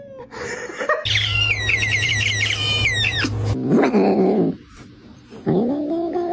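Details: Cat, apparently wanting to eat, giving a long wavering, trembling meow of about two and a half seconds over a steady low hum, followed by shorter rising and falling meows indoors.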